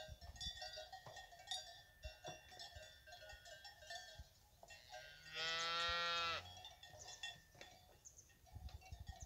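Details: Fighting bull cows kept with their calves on a fighting-bull ranch give one loud, steady moo of about a second, while cowbells clank and jingle throughout.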